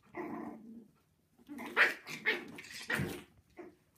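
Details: Havanese puppies, six weeks old, indoors: a drawn growl followed by several sharp high puppy barks and yips in quick succession, then a short final yap.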